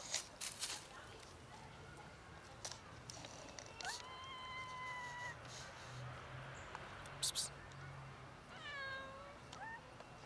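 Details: Black and ginger-white cats, once almost feral and now socialized, meowing to get food: a long, steady, level meow, then a shorter meow that bends downward and back up, with scattered clicks and taps around them.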